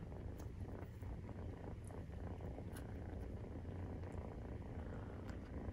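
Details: Maine Coon cat purring during nursing, with kittens 43 days old; a steady, deep, rumbling purr runs unbroken through the clip, with faint soft ticks and clicks above it.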